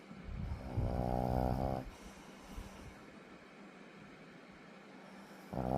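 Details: Puppy asleep, snoring: a deep, rattling, buzzy snore lasting about a second, then quiet breathing, and another snore starting at the end.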